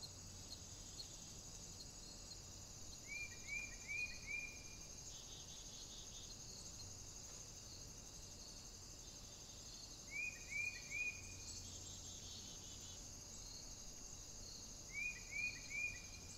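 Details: Stone marten cubs in the morning, filmed by a trail camera on 4 July 2022: short squeaky chirps sliding upward, in bursts of three or four that recur every five to seven seconds over a steady high insect chorus.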